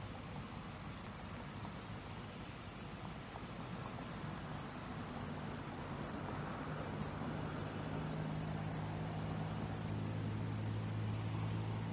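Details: Steady broadband rushing noise with a low mechanical hum that grows slightly louder, like wind or machinery, with no animal calls.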